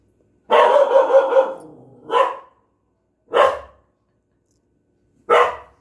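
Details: Pet dog vocalizing indoors in reaction to the sound of rice cooking: a long, wavering, harmonic cry of about a second and a half, then three short, sharp barks spaced one to two seconds apart over a quiet background.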